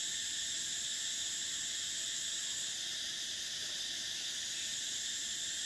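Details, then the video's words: Cicadas singing in summer: an unbroken, intense high buzz in stacked bands, slightly pulsing in strength but never stopping. "Cicadas: the sound of summer"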